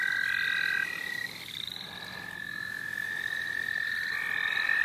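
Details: Frogs calling in the St. Olaf College Natural Lands: several high trills overlap and start and stop in turn over a steady chorus, with no voices heard.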